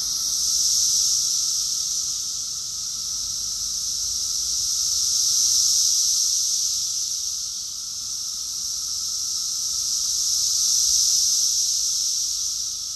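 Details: Massed cicadas singing in Rockville, Maryland, USA, June 2021, summer: continuous shrill droning buzz rising and falling in broad surges about every five seconds, unbroken throughout.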